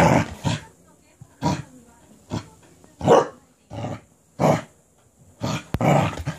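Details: Cardigan Welsh Corgi rampaging with excitement after getting a cabbage core: eight short, punchy barks at uneven intervals, several carrying a deep growly undertone.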